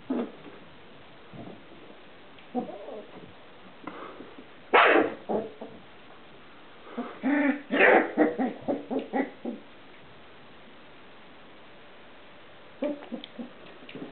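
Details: Four-week-old Irish terrier puppy giving short, scattered whimpers and yips. The cries come in uneven bursts, with a tight cluster near the middle and a few quieter cries at the end, separated by stretches of near silence.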